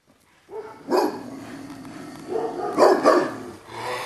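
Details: An old dog with hackles up barks at a young pup jumping around him. Harsh, noisy barks: one sharp burst, then a quick double bark about two seconds later.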